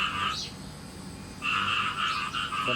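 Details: Captive farm-raised frogs croaking ahead of expected rain: a short run of rattling pulsed croaks, a pause, then a longer rapid burst, with faint background hum.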